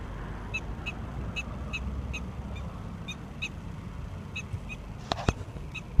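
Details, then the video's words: A prairie dog chit-chatting with people and Shebby gives a series of short, high, harmonic chirps about every half second, roughly a dozen in six seconds, over a low rumble. Two sharp clicks close the sequence. "Prairie dog chit chatting with me and Shebby"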